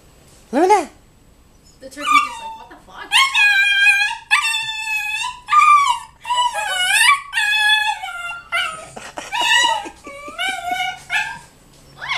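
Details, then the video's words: A 12-week-old Siberian husky puppy reacts to seeing a turkey outside. After a short rising yelp, it gives a near-continuous run of wavering, whiny, yodel-like howls and moans that bend up and down in pitch. "Husky pup makes funny noises"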